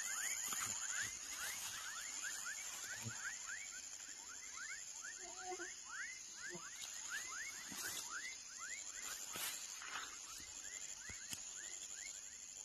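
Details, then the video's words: Dense chorus of baby frogs, with many rising chirps overlapping and repeated rapidly, accompanied by a persistent high insect drone and scattered clicks and rustling noises. "Som de Rã filhote / Baby frog sound"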